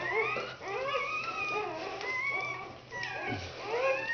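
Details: Newly born red Standard Poodle puppies, 2010 litter, indoors: continuous high, thin squealing and mewling, long wavering tones sliding up and down, several cries overlapping, with a faint low hum beneath and no talking.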